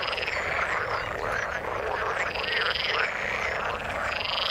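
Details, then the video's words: Chorus of frogs in the water: many overlapping rapid pulsed croaks and rasping trills, with a higher buzzing band running steadily through, thick and unbroken for the whole stretch. "Frog sound in the water"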